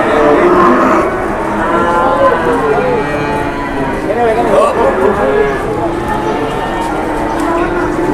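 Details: Cattle mooing at a busy Indonesian cattle market while traders negotiate: drawn-out, wavering harmonic lowing calls overlap one another against a steady crowd murmur and background chatter.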